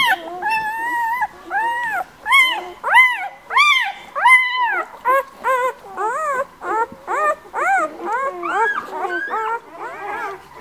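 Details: Young White Swiss Shepherd puppies from a breeder's litter born 11 August give a run of separate, arched whines, roughly one or two each second, clear and loud at first, then softer and more crowded.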